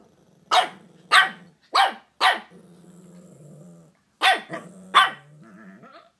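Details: Shih Tzu household with Scratchie, aged five, meeting Lady Bug, a new three-month-old puppy: bursts of four then three high yapping barks, separated by a sustained low rumbling growl.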